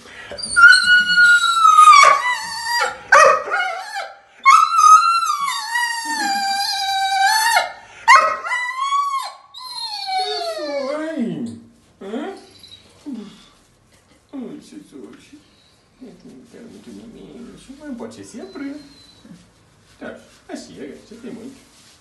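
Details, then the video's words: Dobermann bitch in the bath complaining when people stop massaging her: loud high whines and yelping moans gliding up and down over about twelve seconds, then quieter broken murmurs with a woman's soft voice. "Petra Doberman no banho, reclama quando param de a massajar"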